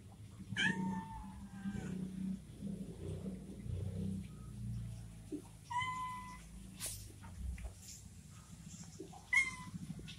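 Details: Orange kitten left behind by its mother, giving three short meows spaced several seconds apart over low background rumble and handling noise.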